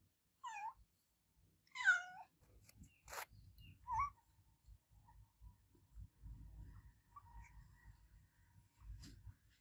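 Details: Loud meows from an adopted cat, two strong wavering cries in the first two seconds and a short third one near four seconds, followed by low rumbling and clicking with no further calls.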